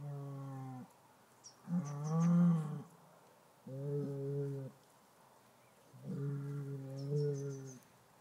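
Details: A bull, said to sing a tune, giving a series of long, low, harmonic-rich moos, each lasting one to two seconds, with wavering pitch and pauses between, plus faint high chirping in the background.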